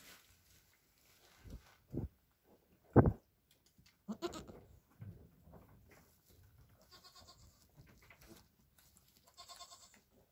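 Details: Two Nigerian Dwarf goat kids, a buckling and a doeling only hours old, born late April with their mother present, give a few short, soft bleats between quiet pauses.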